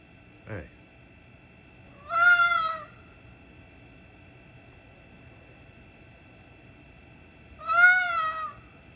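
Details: A red fox gives two drawn-out, wavering screams several seconds apart, each under a second, outside a bedroom window.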